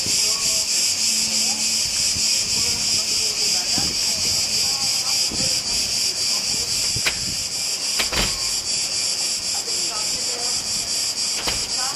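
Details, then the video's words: Cicadas on the island of Crete, Greece, sing in a steady, high, hissing drone that hardly wavers from start to finish. "Как поют цикады"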